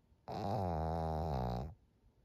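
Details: Maria, an elderly fawn female pug aged thirteen, snoring in Japan late at night on 25 June 2023: one loud, deep, resonant groaning snore held for about one and a half seconds, then silence indoors.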